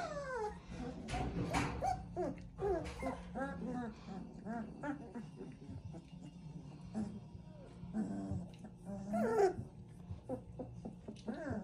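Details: Litter of three-week-old Central Asian Shepherd Dog puppies in Oregon, giving short, squeaky, rising and falling whines and yelps that overlap in quick succession, with low background hum and some voices.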